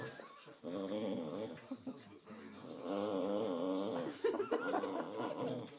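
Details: Baxter, a Boxer who seldom growls, grumbles through a tug-of-war game indoors: sustained, wavering growls with clear harmonic bands, breaking into a few higher-pitched notes near the end, and faint talking in the background.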